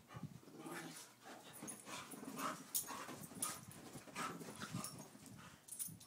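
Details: Daisy, a two-year-old Pit Bull, and Louie, an eight-year-old Chihuahua, playing together; dense scuffling with low rumbling growl-like sounds and sharp broadband bursts throughout, steady and busy.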